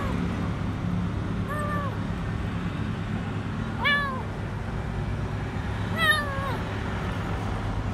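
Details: Stray kitten alone under a food truck outside a grocery store, crying out for food: three descending harmonic meows spaced about two seconds apart, the last longest, against a constant low rumble of vehicles and faint voices.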